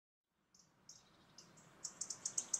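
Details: Stoats playing in a garden in August give thin, very high-pitched squeaks that grow louder and come in a quick series.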